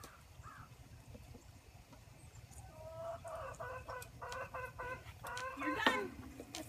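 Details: Bottle-fed orphaned Boer goat kids at a wooden feeder holding six bottles, captured on an iPhone propped on a gate; short, pulsing harmonic bleats repeat over several seconds, growing louder toward the end, over low background rumble.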